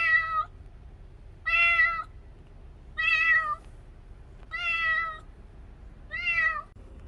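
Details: Kitten Cherry, taken in after rescue from the street, gives five loud, tonal meows with rich harmonics, each lasting about half a second and spaced around one and a half seconds apart, against a soft low rumble indoors.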